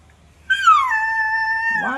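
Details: Lilly, a puppy played with by children, gives one drawn-out tonal whine that starts high, glides downward, then holds a steady pitch for about a second and a half before breaking off; a man speaks just before and after.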